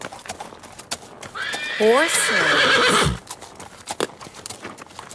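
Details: Horse on a farm giving one loud, wavering whinny of about a second and a half that trembles and falls in pitch, with hoof clip-clops and soft background noise around it.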